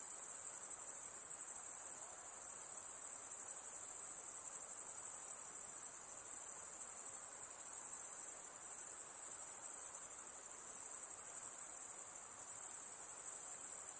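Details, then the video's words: Insect calling at night: a shrill, very high-pitched continuous whine that holds steady without pauses for the whole stretch, over a faint soft hiss and no other clear sounds. "High Pitched Insect Noise At Night"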